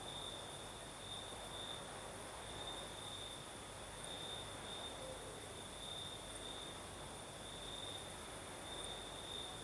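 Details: Crickets chirring at night in the Crimean south amid a night breeze; one sustained shrill trill at even pitch with slight pulsing, surrounded by steady breezy hiss and low-frequency murmur.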